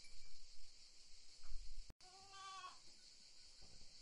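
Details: A goat gives a single short, wavering bleat of about half a second, nasal and harmonic-rich, set against a steady high hiss and soft low rustling.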